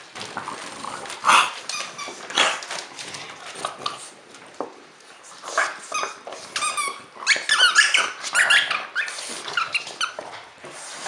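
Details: French Bulldog at Christmas time giving a series of short, high squeaky whines and yelps, scattered bursts with quieter rustling between them and faint voices in the background.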